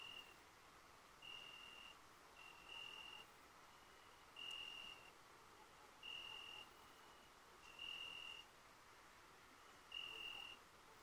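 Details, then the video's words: Crickets at night under full moonlight at the Cilpirti highland pasture in Turkey: clear, steady high-pitched tonal chirps, each about half a second long, repeating roughly every one and a half seconds over a soft background hiss. "Ay Işığı Altında Cırcır Sesleri"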